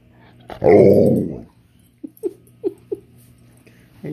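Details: Alaskan Malamute, a male dog, 'talking' to tell his owner what he wants or doesn't want: a loud, rough growling grumble of nearly a second, followed by four short yips spaced about a third of a second apart, then another brief grunt.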